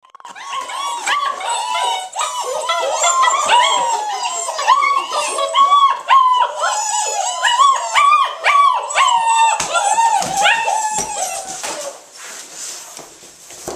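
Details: Litter of seven-week-old German Shepherd puppies, recorded August 19, 2012: a dense chorus of high, arching whines and whimpers from several pups overlapping almost without pause, trailing off softer in the last seconds.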